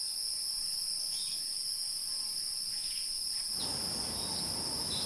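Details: Wild insects keep up an unbroken high-pitched shrill, two steady piercing bands like a continuous cricket chorus, over soft rustling background noise that rises partway through.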